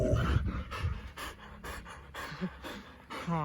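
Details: Siberian Husky indoors at New Year 2022, from a household with three huskies named Cookie, Bearry and Happy. Rhythmic breathy panting bursts repeat about twice a second, with a woman's voice speaking over parts of it.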